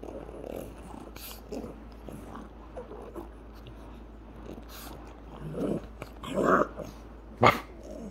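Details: Pug named Baroness playing indoors with a person, giving low rumbling growls and grunts that swell into louder throaty bursts around the sixth and seventh seconds, ending in one sharp, short woof; quiet room background.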